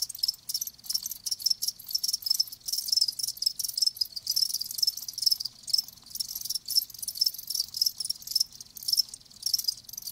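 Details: A chorus of live crickets giving thin, high chirps in quick rhythmic bursts that run almost without break, a calm natural ambience with no other noise.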